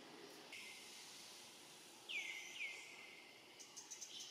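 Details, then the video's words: Hungry young monkey Rainbow, left alone and searching for its family, utters a pair of high whistled calls that fall and flatten out, followed by faint clicking sounds against steady background hiss. "Young Rainbow Very Sad, Lonely and Hungry Keep Looking Around and Calling For Family, Poor Monkey"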